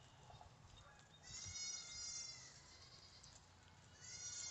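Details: Farmed guinea pig eating fruit: faint high, whistling squeals rich in overtones, one long squeal of about a second and a shorter one near the end, over a steady hiss of background noise.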